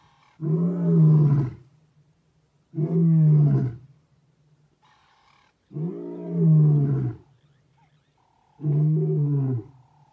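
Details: Large male lion passing a vehicle, roaring loudly in four deep, rumbling bursts roughly every two and a half seconds, each about a second long with a strong low fundamental and rich harmonics, quiet gaps between.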